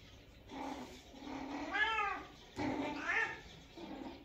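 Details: Kitten with its cat family: several soft, drawn-out meows, one rising then falling, another short and bent, over a faint hiss of background noise.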